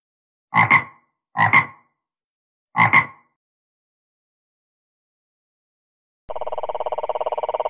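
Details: Three short, rasping double croaks from a frog with unusual calls, spaced about a second apart, then silence followed by a steady, buzzy tonal hum that starts abruptly near the end.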